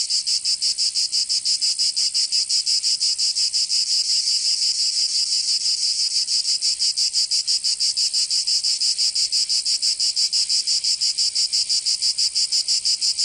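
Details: Cicadas singing in summer in Provence, southern France: a dense, high, hissing buzz pulsing steadily about three times per second, unbroken throughout, with no other sounds.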